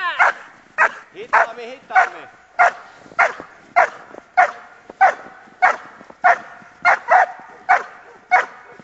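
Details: Female Giant Schnauzer Thora, one year seven months old, barking in bitework training: loud, harsh barks repeated steadily about every half second, roughly fifteen in a row, with a brief whine-like sound early on.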